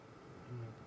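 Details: Large spider-hunting wasp with its distinctive loud drone circling a safari vehicle once or twice before heading off, on an afternoon drive at Djuma and Arathusa on 15 January 2015; brief, loud, low droning hum over engine rumble.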